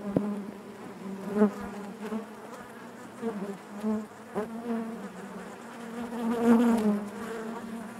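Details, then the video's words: Honey bees buzzing inside their hive, a dense, steady drone with a strong hum low in the range and stacked overtones, swelling and fading as individual bees pass close by, with a few brief louder surges and soft taps. "bees therapy hive natural buzzing sound"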